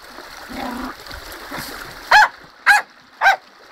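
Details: Splashing and rushing river water first, then Tottie, a dog who loves the river in full flow, gives three evenly spaced sharp barks and starts a fourth.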